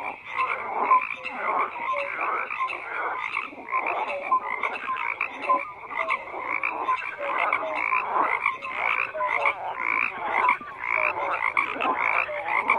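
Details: Long stretch of frogs croaking in chorus, unbroken rough pulsing croaks layered densely with scattered brief tonal notes, steady intensity throughout without pauses.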